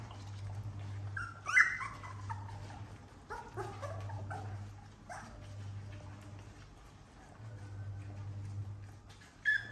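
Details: Playing puppies whimper in short high rising whines, with a few quick yelps spaced irregularly and a louder cry at the very end, over a constant low hum indoors.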